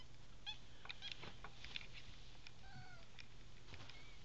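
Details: Bobtail kittens three weeks old, one of a litter of five, giving a few short, high, slightly falling mews amid clicks, low hum and a nearby voice.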